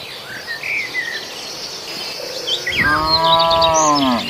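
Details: {'caption': "One cow in a herd eating grass in a farmer's rice field lets out a long, steady, harmonic moo lasting over a second, after a stretch of bird chirps over an insect hum."}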